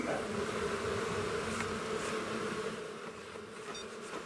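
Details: Agitated honey bee colony, long settled in a house wall, being removed on day one of a March cutout as darkness falls: continuous thick humming swarm buzz, slightly fading near the end, with faint clicks.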